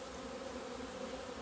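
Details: Honey bee colony out flying in February 2020 sunshine after two months indoors; an unbroken mid-pitched drone with a low tone and an octave above, steady in volume.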